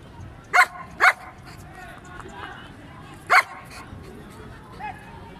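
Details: Male German Shepherd with a double coat, Peshawar, Pakistan: two loud barks half a second apart, a pause, then one more bark, with a low noisy background throughout.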